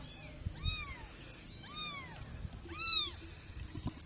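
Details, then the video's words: Kitten meowing: three clear, high, arched meows, each rising then falling, about one second apart with a pause before the last and loudest, over quiet background shuffling. "kitten cats funny moments cats - Suara Binatang 58"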